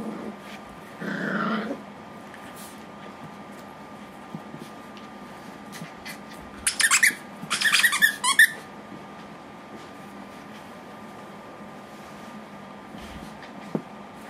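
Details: A red male Miniature Pinscher, born February 2011, gives a short whining grumble, then a burst of sharp, high yaps and squeaks.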